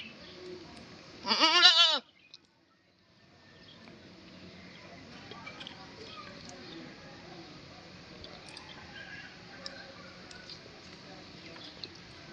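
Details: An Indian goat gives one loud, quavering bleat, then only quiet background rustle follows.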